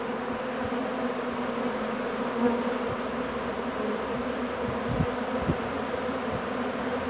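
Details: Softer, even hum of a bee swarm being gathered into a box on 2 June 2019, many wings droning together, with a few faint thumps scattered through.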